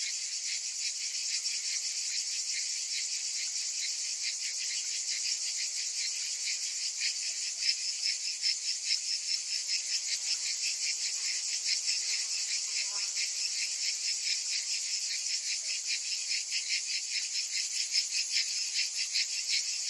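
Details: Summer cicada chorus: a steady, high, hissing drone with only faint pulsing. A broad wash of buzzing voices holds nearly unchanged throughout.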